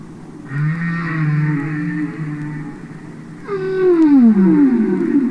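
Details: Humpback whales singing and communicating underwater, from a Capitol Records album recording: a long wavering moan with rich upper harmonics, then a loud sweeping downward whoop gliding from high to low over about two seconds.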